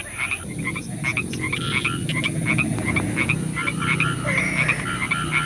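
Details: Night chorus of frogs in the rain, many overlapping short ringing croaks repeated rapidly, several calls per second, above a constant hiss and low rumble of rainfall.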